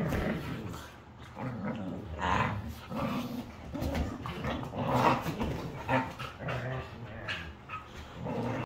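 A Siberian husky grumbles, growls and yowls in throaty bursts while playing.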